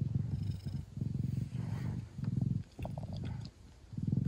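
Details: Traditional Siamese mother cat nursing her newborn kittens, purring loudly; low rhythmic rumbles rise and fall in short breathy bursts, broken by faint soft squeaks and small rustles.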